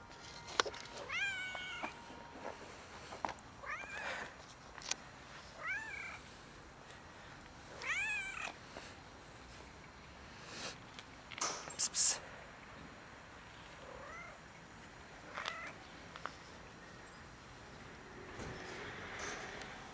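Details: Cat approaching someone for a favour meows repeatedly, about six short arched calls spaced a second or two apart, some higher and thinner, with rustling and clicks between them.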